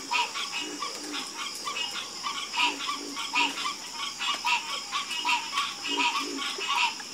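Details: Frogs calling together in a dense chorus, each croak a short raspy burst with bright upper tones, overlapping callers repeating roughly every second over a faint background hiss.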